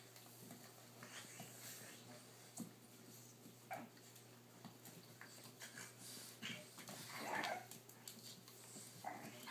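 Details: Boston Terrier father at play with his blue puppies, 3 months and 5.5 weeks old, captured on a cell phone: scattered soft whines and huffs among scuffling and clicks, rising to a brief squeaky whimpering burst near the end.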